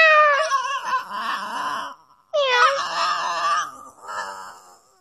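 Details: Indoor female pet dog sounding as if meowing when teased by her owner; two long, wavering, whiny cries that start high and bend down, each trailing off into rough breathy moaning, with a quieter tail at the end.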